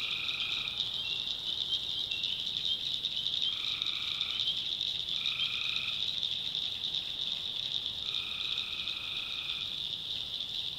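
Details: Nighttime tree frog chorus in a North Carolina backwoods swamp: a continuous high-pitched drone, punctuated by four short trilled calls at irregular intervals of one to three seconds.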